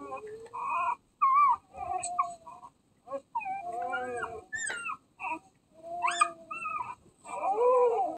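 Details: Nine-day-old mixed-breed puppy, a Basset Hound, Great Pyrenees, Chihuahua and Dachshund mix: a run of high, squeaky whines and whimpers, some sliding up or down, coming in short bursts with brief pauses between.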